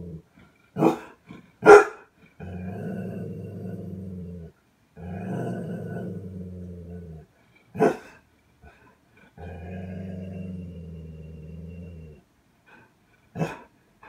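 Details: Hatchi, a seven-year-old female Golden Retriever, barking at a vacuum cleaner indoors: sharp, loud single barks near the start, around eight seconds and at the end, separated by long, steady, low droning stretches.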